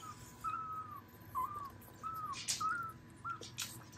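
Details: Newborn Dobermann puppies from the spring 2022 litter of Berlin Di Tesoro and Hugo Betegles, five males and seven females: thin, high whistled squeaks, each briefly level or bending, repeated about once a second, over a low hum.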